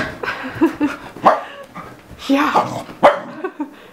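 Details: A 7-month-old Keeshond going crazy indoors gives several short, rough, broadband barks scattered over four seconds, mixed with rustling and clatter.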